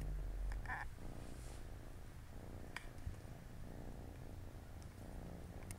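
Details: Siamese kittens and their mom at play on a Saturday afternoon; a low, throbbing purr continues throughout after a brief higher squeak near the start, with occasional faint clicks.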